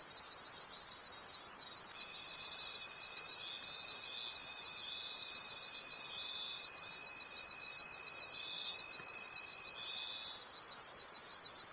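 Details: Crickets calling at night in a forest: a dense, shrill chorus of high trills swelling in soft pulses under a second apart, with a thin steady whistle-like tone running from about two seconds to ten seconds.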